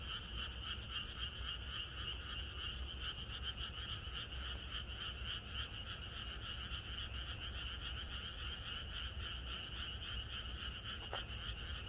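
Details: Countryside frog chorus at night ahead of expected rain, many frogs calling together in a fast, throbbing stream of croaks that never pauses, one brief sharp click near the end, low background hum throughout.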